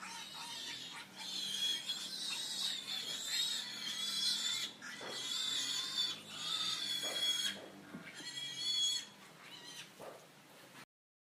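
Pigs squeal loudly, with shrill, harsh cries overlapping in long bursts.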